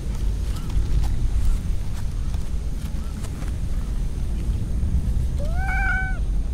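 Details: Stray cat in a park with a large pond, lounging among other strays; one clear rising-then-level meow with strong harmonics near the end, after faint short chirps, over steady low rumbling background noise.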